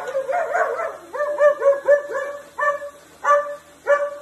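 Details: A German Shepherd barking at a juicer gives a quick run of sharp, fairly high-pitched barks.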